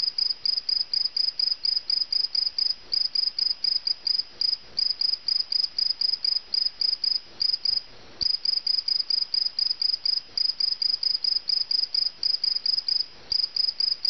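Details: Indoor cricket caught inside a house, giving a long run of shrill, high pulsed chirps about twice per second, one brief pause near the middle, soft faint clicks and rustles behind.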